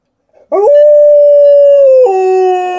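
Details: A female Alaskan Malamute called Liza swoops up into a clear, level howl held for over a second, then drops abruptly to a lower steady tone that continues to the end.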